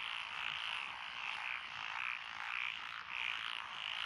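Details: Rice-paddy frogs in lotus fields, Echizen, Fukui Prefecture, Japan, 12 June 2021; a loud nearby caller gives repeated grating croaks in pulses about every half second, backed by a steady chorus of more distant frogs.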